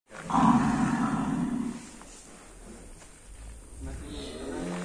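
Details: Full-blood Black Angus bull, about 850 kg on arrival and now estimated near 1.1 tonnes, being led out of its pen. A loud, hoarse, roaring bellow lasts under two seconds, then people talk nearby.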